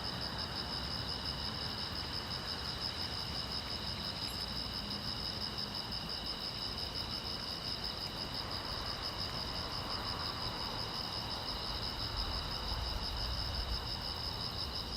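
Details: Crickets chirping at night beside a silent road, a steady high pulsing trill in two bands running without a break under a broad low hiss of background noise.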